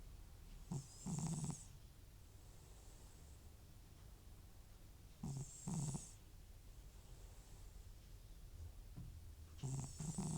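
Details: An elderly, FIV-positive domestic cat with recurring nasal discharge and sneezing snores loudly while asleep indoors. Each breath gives a low, groaning snore paired with a hissing, whistling nasal rasp, repeating about every four to five seconds.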